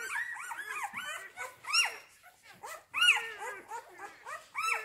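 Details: Rhodesian Ridgeback puppies from a kennel's C litter, born 8 June 2019, whimpering: overlapping high, arching whines and brief yelps from several pups, rising then falling in pitch, in bursts with short gaps.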